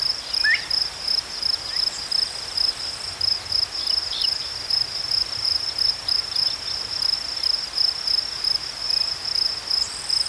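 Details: Shrill nonstop cricket chirps in nature, a fast even pulsing at a fixed high pitch with a fainter, higher pulsed layer above, and a brief bird note near the start.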